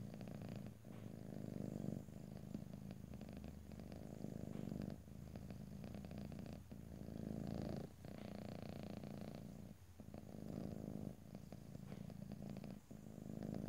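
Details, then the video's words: Cat purr in stereo with no talking: rhythmic rumbling swells separated by brief breath gaps roughly every one to two seconds, with light rustling noise. "ASMR Cat: Purring"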